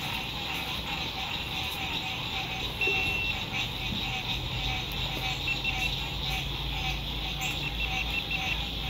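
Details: Spring 2021 lakeside RV camp at sunset, with a frog chorus forming an unbroken high buzzing wall of trills, a soft low hum of road noise and faint movement sounds from nearby campers beneath it.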